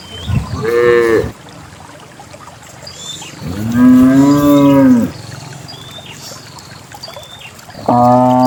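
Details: Dozens of cows descending a lush green hill toward a fertile valley; three drawn-out moos, a short one, then a long rising-and-falling bellow, then another starting at the end, with soft chirping birds in the background.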